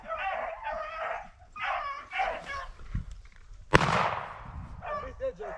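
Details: Beagles chasing cottontail rabbits on a family rabbit hunt at the start of the 2021 season; drawn-out, ringing bays come in bursts, broken by a sharp shotgun blast and a few voices.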